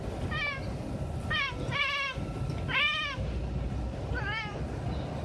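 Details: Domestic cat meowing in a compilation of cat sounds: five short arched meows, some rising then falling, spaced about a second apart over steady low background rumble.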